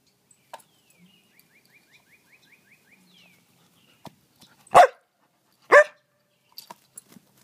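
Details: Jasper the Samoyed playing fetch on a spring evening lets out two loud barks about a second apart after a soft bird trill and a few faint clicks.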